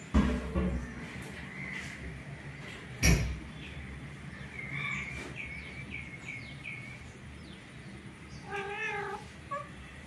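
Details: Orange male cat pressing a female to mate: a quivering, tremolo yowl near the end, preceded by several short chirpy mewing notes over background noise and a sharp knock.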